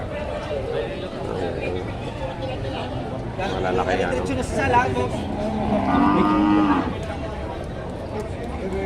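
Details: Breeding cows and heifers at a Padre Garcia, Batangas livestock market in the Philippines, January 3, 2025: a drawn-out, nasal moo rises from the busy background near the end, with people talking and general market bustle throughout.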